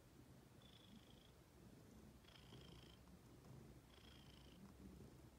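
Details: Female pet cat that likes to sit and wait to be petted. Soft, steady low rumbling purr throughout, with a faint thin whine rising about every one and a half seconds in time with her breathing.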